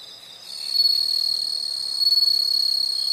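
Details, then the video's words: Nature sound of insects for relaxation: a steady high, shrill continuous trill that grows louder after the first half second, over faint background rustle. "the sound of insects"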